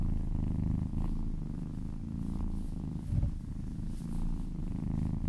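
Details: Loud, close purring from a kitten being massaged, a thick continuous low rumble with a small thump near the middle.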